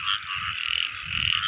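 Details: Frogs during the rain season, as people go out to catch frogs: a dense, steady calling chorus, with short high pulses repeating about four times a second above a continuous buzzing band.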